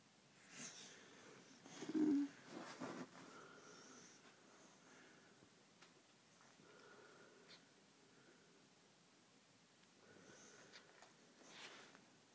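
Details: Tango, a pet Bull Mastiff, asleep indoors on December 6th, 2009: soft, wheezy snoring breaths drawn in a quiet room, with one sharper, louder snort early on and gentle breathing sounds recurring through the rest.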